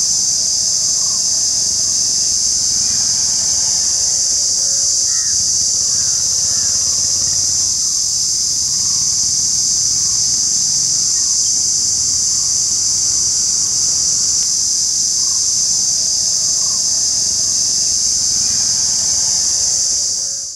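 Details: Unbroken, piercing drone of an Indian cicada, constant in pitch and loudness until it cuts off at the end; soft distant bird notes sound in the background.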